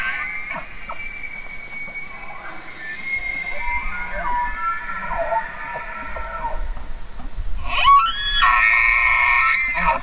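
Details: Elk bugling: high whistled tones held near one pitch with a layered harmonic ring, overlapping calls through the first half, then a loud rising squeal that levels into a long sustained whistle near the end.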